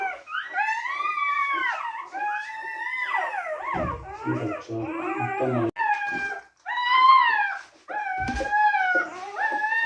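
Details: Several newborn Teddy Retriever puppies whimpering indoors during whelping: arched harmonic cries, irregularly spaced, overlapping with rougher grunting squeaks and soft handling noises.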